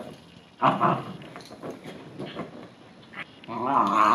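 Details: A male Bichon Frise, upset after being in the rain or bathed, lets out a sharp harmonic growl, then softer grumbles and a long rising, whining growl at the end, indoors.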